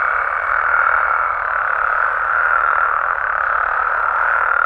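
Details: In a nighttime Mexican wetland habitat, many frogs and toads blend into a constant, even, mid-pitched purring drone with barely any change over nearly five seconds.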